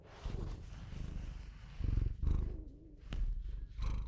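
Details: A pet Bengal cat gives a continuous low, buzzing purr that rises and falls in breath-length pulses, broken by one sharp click and a faint wavering tone.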